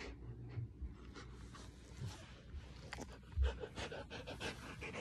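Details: Tired Samoyed resting in someone's arms after play, panting with heavy rough breaths; soft breathy huffs with irregular spacing and a couple of low bumps from handling.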